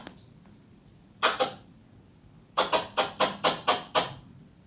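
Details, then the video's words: Squirrel calling loudly with rapid, harsh chattering chirps. A pair of quick bursts is followed by a run of seven evenly spaced sharp notes, about five per second, in otherwise quiet surroundings. "Squirrel making sound very loudly!, squirrel loud chirping sounds"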